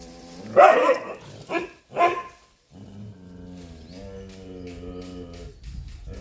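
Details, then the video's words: Chippiparai dog barking while fighting monkeys: three loud, harsh barks crowd the first two seconds, then give way to music with steady sustained tones. "chippiparai dog fighting monkeys"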